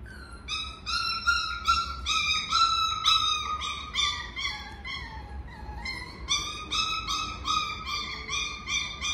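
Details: Miniature Schnauzer whining in a long series of bright, yelping notes, some held and gently falling, others clipped, coming about twice a second with a brief pause midway; steady low background hum.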